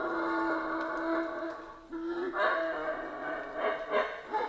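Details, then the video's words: Central American rainforest howler monkeys roaring continuously, with rough, layered howls that dip briefly and resume, louder pulses near the end. "Rainforest Howler Monkeys Sounds"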